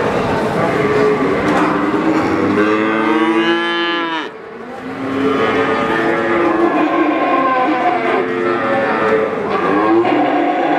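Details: Calf mooing, a cute young cow: drawn-out harmonic bleating moos, one rising and falling sharply around the fourth second, then more overlapping lowing calls through to the end, with steady background hum.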